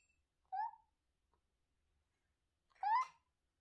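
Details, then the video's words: Talkative domestic cat indoors giving two short, tonal meows about two seconds apart, the first brief and slightly rising, the second louder with a rising-falling bend, in an otherwise quiet room. "Talking cat"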